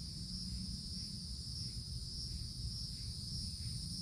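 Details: Summertime cicadas in a wooded forest canopy keep up a continuous shrill hum, even and unchanging, over constant low-pitched rumble.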